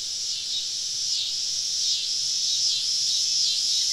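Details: Woodland cicadas on a southern summer evening, heard from a campsite deep among the trees: a bright continuous buzz with loose, uneven swells, brief and steady in volume.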